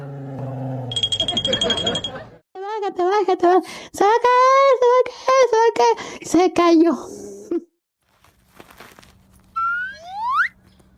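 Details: Dog named Tyrion indoors, urged to show what he wants, gives a run of rising, whining yelps with harmonic pitch sweeps for several seconds, then a final upward squeal; laughter and a man's voice around it.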